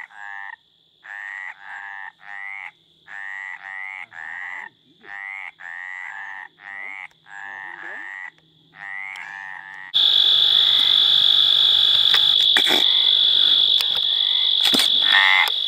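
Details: Mediterranean tree frog (Hyla meridionalis) in mating call: around fourteen short croaks repeated rapidly for ten seconds, then a loud burst of broad rushing noise takes over.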